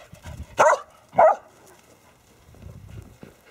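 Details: Border Collie barking while playing soccer with a basketball alongside dogs Ramsey, Baby, Ice, Rip and Rush; two sharp, loud barks about half a second apart, then quiet shuffling and a faint voice.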